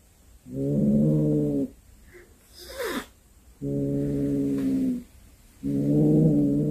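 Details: Domestic cat that has brought home a snake it hunted, giving three long, low, moaning yowls, each steady for over a second with short pauses between, and a brief higher sweep in the middle gap.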